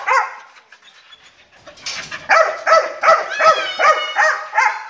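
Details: Dog barking in a quick, steady run of high, yappy barks, roughly two or three each second through the second half, after one early bark and a stretch of quieter sounds.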